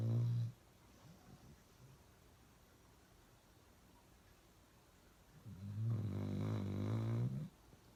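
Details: A dog named Uno snoring loudly indoors: a short low rumble at the start, a long pause of quiet breathing, then a two-second harsh, buzzing snore with a rough low drone.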